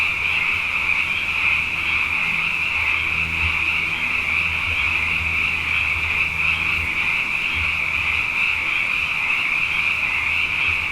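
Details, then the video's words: Frogs, abundant after two wet years in a row, chorusing at night: a dense, unbroken high trilling wall of many callers without pause, with a steady low hum beneath. "Frog Songs: Na Mele o nā Paloka"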